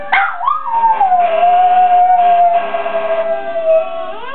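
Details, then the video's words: Pet dog Rusty sings with a single drawn-out howl. It opens on a quick high yelp, then settles into a steady, slightly falling tone held for about four seconds, with a short rise at the very end. "Rusty singing"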